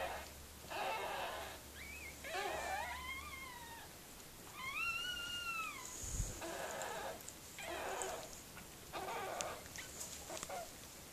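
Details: Mirella, a Miniature Pinscher, while giving birth to puppies: several high, arching whines with rising-then-falling pitch, set between bursts of rough, breathy panting in a quiet room.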